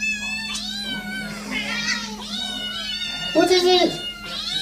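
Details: Kittens crying in a near-continuous run of overlapping, drawn-out meows that bend up and down, with a brief harsher, louder cry toward the end.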